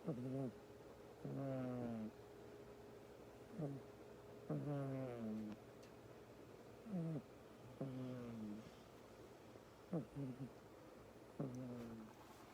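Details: Deeply tired male house cat snoring in its sleep, with regular raspy, low harmonic snores on each breath, some longer and drawn out, spaced one to two seconds apart against faint background hum.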